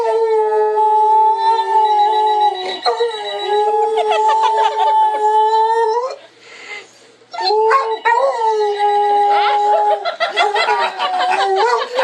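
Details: Pet dog howling in response to a ringing phone, as it does every time the phone rings: sustained tonal howls with rich harmonics, wavering then steady, broken by a short pause near the middle, with a ringing tone mixed in.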